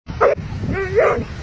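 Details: Dogs fighting, giving short yelping barks and a drawn-out whine-like vocal over a rumbling, noisy background.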